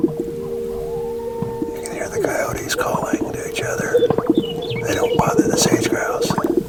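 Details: Before sunrise, as it starts to get light in sage-grouse habitat, coyotes call back and forth in wavering, high yips and howls over a steady musical drone.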